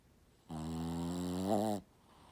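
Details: A Shih Tzu asleep gives a single snore lasting just over a second, a steady buzzy, low, richly layered drone that swells slightly and wavers upward near its end before stopping abruptly in a quiet room.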